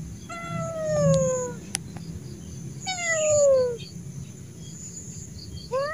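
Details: Fierce wild street cat, angry and scared as someone slowly approaches to tame it, gives drawn-out descending meows, two long wails then a short rising cry at the end, over a low background hum.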